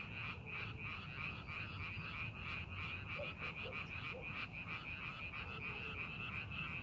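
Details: Frogs in a paddy field prepared for farming, rapid overlapping croaks pulsing about three times per second, a few soft lower chirps in the middle, with steady low rumble beneath.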